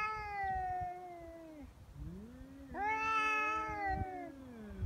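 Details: Stray cats fighting on Japan's Cat Day, 22 February: one gives long, wavering, drawn-out threat yowls at a rival that won't back down, and the threats escalate into biting and cat punches.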